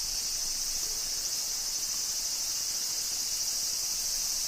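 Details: Cicadas heard on a walk through the village of Shirakawa-go, not yet the familiar typical sound: an unbroken, bright high-pitched buzzing band that stays level throughout, with little else audible.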